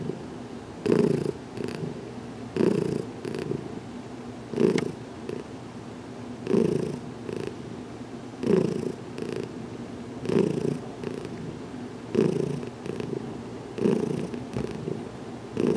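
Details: Heidi, a domestic cat about two weeks in her new home, purring in a closet while getting a head massage; steady low rumbling with louder swells roughly every two seconds as she breathes in and out.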